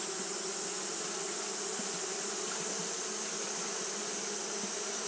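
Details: Hot-day fanning by a group of Japanese honey bees: a constant humming buzz, low and even, overlaid by a soft continuous hiss.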